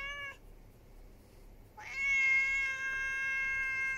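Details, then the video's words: Stray ginger cat, female, arriving at a house on a July 2021 evening and making her demands: a short meow tail, a quiet gap, then a loud, drawn-out meow that rises sharply and sustains evenly to the end. "Ginger kitty demands help"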